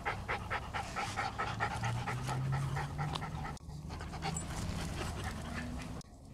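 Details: Apricot female and black Toy Poodles panting while running on a treadmill and chasing a ball with a Chihuahua cross; fast breathy huffs repeat steadily, briefly cut off midway, with a constant low rumble underneath.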